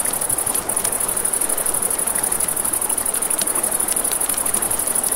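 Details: Night crickets by a river sing a continuous shrill pulsing trill, high and even, while river water hisses beneath and a few sharp campfire snaps pop out now and then.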